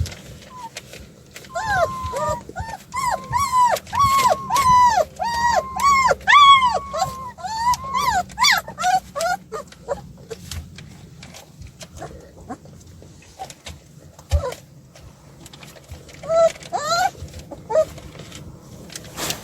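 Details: Puppies, two of a group of seven, escaping their play area: a fast run of arched, high whining yelps for about seven seconds, then quieter clatter and scuffling with a few more yips later.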